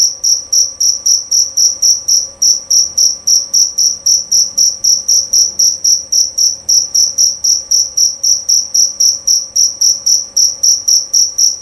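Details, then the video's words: Clear, piercing chirps of a jerabang cricket, a male cricket prized for its song, repeated in a very steady rhythm of nearly four per second, bright and high, without interruption over a quiet background. "Bunyi Suara Jangkrik Jerabang Nyaring dan Jernih"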